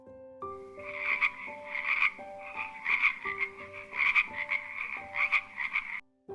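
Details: Frog croaking in rhythmic rattling pulses, short raspy bursts repeated about once a second for six seconds, over light instrumental music.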